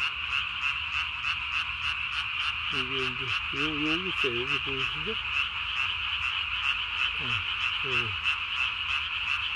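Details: Japanese tree frog calling at night on 3 May 2020, its single vocal sac under the chin inflated as large as its body; steady fast pulsed chorus, about three notes a second, with lower bending harmonic croaks from other frogs midway.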